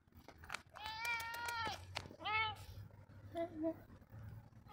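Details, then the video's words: Roger the cat lets out a long, strained meow followed by a shorter one, then softer faint chirps; low room hum and a background voice underneath. "Meowy Roger"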